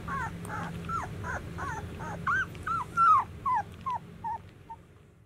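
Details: White Swiss Shepherd puppies, 13 days old, whining; a quick series of short wavering, bending squeals about two to three per second, the later ones louder and more spaced, then fading, with a low hum underneath.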